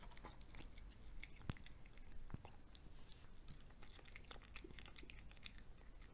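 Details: A cat eating fried egg indoors, close to the microphone: quick clicking bites and smacking chews, two sharper snaps in the first half, with a quiet low room tone behind.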